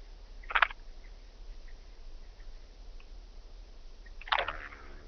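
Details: Blue-winged grasshopper at Mörnsheim, Germany, 14 July 2023: two soft, clipped scraping bursts nearly four seconds apart, the second trailing into a faint rasp, against a quiet low hum.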